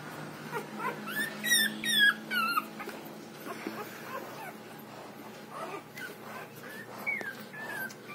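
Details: Six-day-old Rottweiler puppy during milk feeding, giving thin, high squeaks and short falling whines, clustered early and again near the end, faint over a low steady hum.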